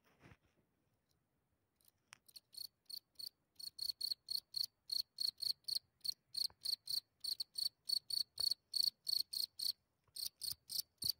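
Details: Cricket leaving its burrow at night in Germany, heard from a few centimetres: near-silence with faint clicks, then sharp, high chirps start after two seconds and continue at about three and a half per second, with one short break.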